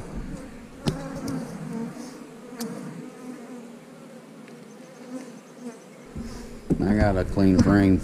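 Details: Honey bees at an eight-frame hive: a steady low droning hum holds for about six seconds before a man starts talking over the continuing buzz.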